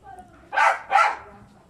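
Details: Two loud, punchy barks from a lively pet Aspin dog, about half a second apart, each broad and forceful, with a quiet background before and after.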